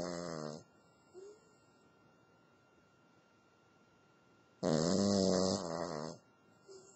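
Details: Lacey, a pet Cavalier King Charles Spaniel, snoring in her sleep at the new year; two rough, harmonic snore breaths, one short at the start and a longer one near the end, separated by quiet, with a faint indoor hum.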